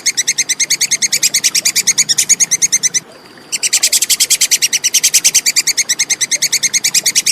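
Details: Plantain squirrel chattering in quick, crisp, high ticking notes, steadily repeated several times a second, broken by one short pause before the run resumes; little else is audible.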